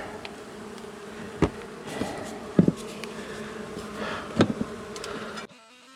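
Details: Honey bee colony long established in a house wall, turning angry after dark during a rescue cutout: a steady low droning hum throughout, broken by clicks and knocks of work, then a sudden cut to quiet.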